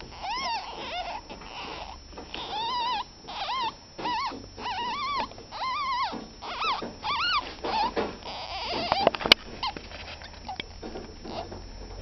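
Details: Baby ferrets, ten days old, squealing in bursts of short arched, whiny squeaks, often three to five close together with brief pauses, growing fainter and more broken toward the end, with a few clicks and rustles.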